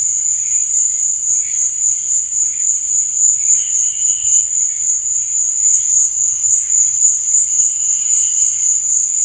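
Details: Night-time cricket chorus, a steady piercing high trill that never pauses, overlaid by softer lower chirps that come and go in short bursts; nothing else intrudes.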